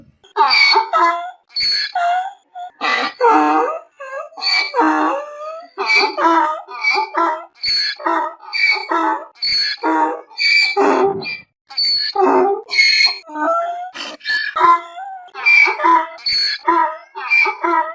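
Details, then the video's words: Repeated braying from a donkey: wheezy high squeals swing back and forth with deeper rasping honks in quick succession, the seesaw rhythm running almost without pause, nothing else audible. "SONIDO DE BURRO"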